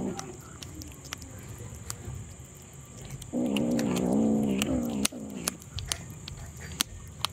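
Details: A hungry kitten gives a single drawn-out, wavering meow over faint clicks and a steady high hiss.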